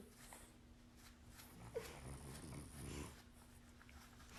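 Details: Female dog growling indoors, angry because her brother, another dog, wants to play with her; a low, rough rumbling growl swells for about a second and a half midway, over a steady electrical hum in a small room.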